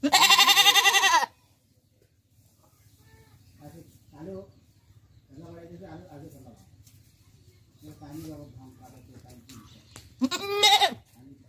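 A goat gives two loud, wavering, nasal bleats, with quiet human speech between them.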